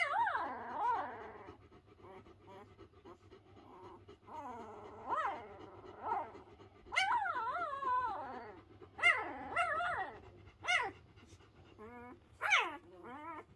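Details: Newborn Pyrenean Mountain Dog pups, less than a week old, from a litter of three, complaining loudly when unhappy. Wavering, bending whines and squeals come in uneven bursts, some sharp and high, over a constant low background hum.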